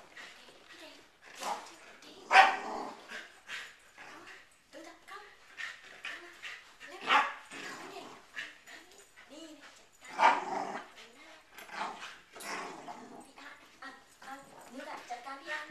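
A corgi gives sharp, scattered barks and yips while people talk nearby.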